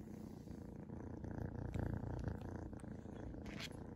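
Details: A Seal Point Ragdoll kitten purrs continuously in a low, rumbling, gently pulsing rhythm while being patted, with faint rustling and patting sounds now and then; Ragdoll cat.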